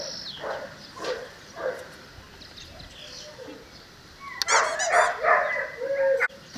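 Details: Cane Corso female puppy Lucresia, eleven weeks old, out of Bonita and Paolo; a few soft scattered sounds, then a loud burst of high, harmonic whining yelps rising and falling for about a second, ending with a brief tonal squeak.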